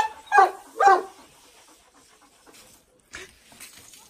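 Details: Jack Russell Terrier named Paris, with Deyzi and Pars Reis, in a playful flirting scene between the dogs: two sharp, harmonic yelping barks about half a second apart, then quiet with soft rustles and scuffling.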